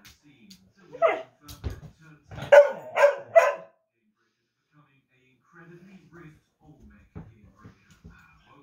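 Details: Dog in the United Kingdom barking at himself in the mirror: one bark, a short gap, then three rapid sharp barks in a burst, followed by soft low noises and quiet rustling.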